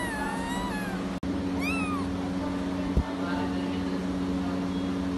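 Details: Persian kittens give thin, high meows, one sliding downward at the start and a brighter rising-then-falling cry soon after, with a faint later mew; a low droning hum runs throughout.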